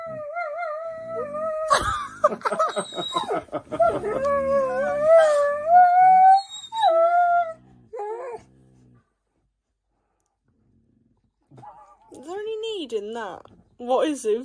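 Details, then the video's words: Pet Siberian Huskies at home being dramatic in a funny argument, one named Zeus: long wavering howl-like moans sliding up and down, strong harmonics, several overlapping voices, then rising yips after a pause; a woman exclaims and laughs, with background music. "Huskies being dramatic and weird | Funny husky argument"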